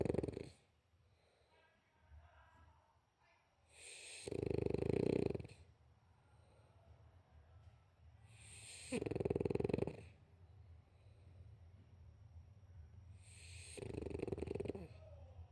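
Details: Dog snoring: three loud, deep, rasping breaths about every five seconds, each a long rough rumble, with softer breathing and faint background noise in between.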